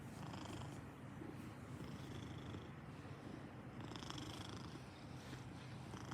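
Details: Purring Maine Coon, a constant low, even rumble without pauses, with soft breath-like swells near the middle and end.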